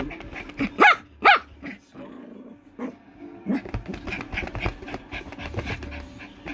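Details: Poodle playing with its new toy gives two short, sharp barks about half a second apart, followed by shuffling, room noise and faint speech in the background.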